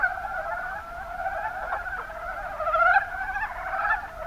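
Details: Mountain brown frogs, Rana ornativentris, calling in the Kuma Basin of Kumamoto, Japan: a dense chorus of overlapping mid-pitched croaks forming two steady bands, swelling louder near the end.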